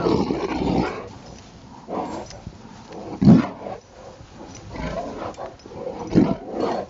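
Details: Rottweiler at play in Maryland snow on the afternoon of December 19, 2009, giving short gruff growls and huffs at uneven intervals, with a sharp louder burst past three seconds and another near six.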